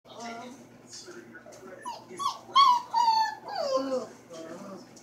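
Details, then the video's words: A 4-week-old puppy howling indoors: soft whimpers build into a loud, wavering, drawn-out howl that slides downward near the middle, then fades back into quiet whines. "Howling Puppy in Beast Mode"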